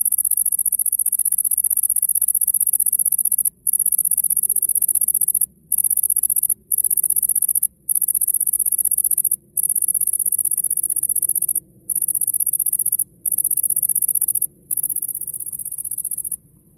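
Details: Bush cricket singing to attract a female in the A.Vogel gardens in summer 2021: a very high, hissing buzz in long unbroken trains of one to two seconds, cut by brief silent gaps, with faint low background rumble.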